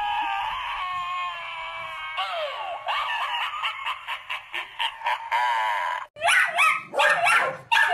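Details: Siberian Husky, a pet dog indoors, gives a drawn-out wavering whine that slides down, then a run of short rising yips about once every half second, ending in louder harsh yelps.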